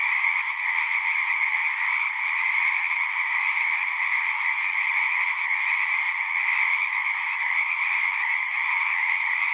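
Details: Frogs chorusing at a pond in a horse pasture, recorded on a Zoom 6: a dense, unbroken wall of overlapping trilling calls with a strong band around the upper-middle pitch, steady in loudness throughout, with no other sounds standing out.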